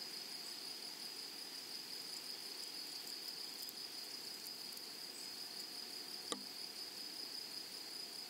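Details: Grasshoppers in flowery prairie meadow give a sustained high, even buzz with scattered faint ticks above it, and a single sharp click about six seconds in.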